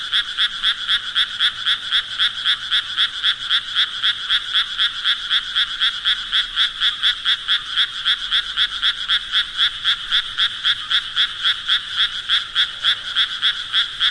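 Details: Frog croaking in a steady, rapid run of short rasping pulses, nearly four per second, evenly spaced and unchanging in loudness throughout, with no other sounds.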